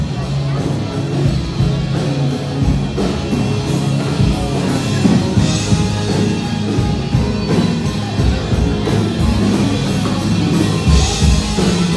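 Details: Loud, heavy rock music with driving guitars, drums and vocals fills the whole stretch, with no animal sounds.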